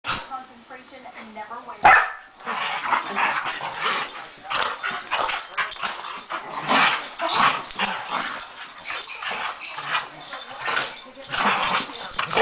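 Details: Two pet dogs playing together on a Sunday morning: rough, noisy growls and snarls in uneven bursts, with one sharp loud yelp early on and a human voice also audible.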